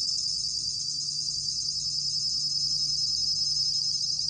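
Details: Short stretch of bell cricket song, 2020 National Institute of Biological Resources recording: an even, piercing high ringing with slight pulsing texture, somewhat quieter, over a low steady hum.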